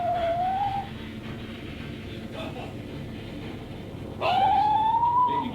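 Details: Red squirrel (Sciurus vulgaris), whine call.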